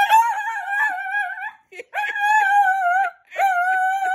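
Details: Gizmo, a rescued Lhasa Apso with aggression and anxiety issues, excited to go outside indoors: three long, high, wavering whines, each over a second, with rich overtones and brief gaps.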